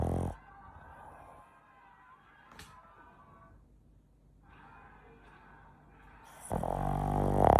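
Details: Sleeping pet Boston Terrier Chachamaru at home: a loud rasping snore cuts off at the start, a long hushed pause with soft breathing follows, then another loud, rattling snore swells at the end.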